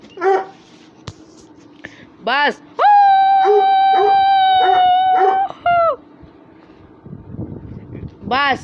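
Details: Russian Hound among dogs playing and fighting: short rising whimpers, then one long, steady, tonal whine held for about three seconds with brief yelps under it, and more whimpers after a pause.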